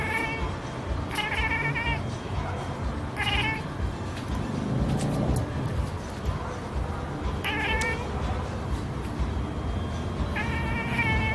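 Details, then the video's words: A black and white male cat, having spotted a pigeon, calls to his prey with short bursts of rapid, stuttering chirps, repeated several times over a steady low background rumble. "cat calling birds - chirping sound"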